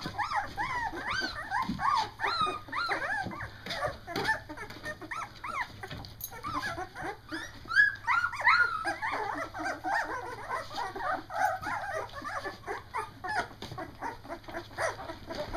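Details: Litter of two-week-old Doberman puppies, just able to see and moving about, discovering their barks: continuous overlapping high squeals and yelps, short rising cries repeated rapidly, with a steady background hum.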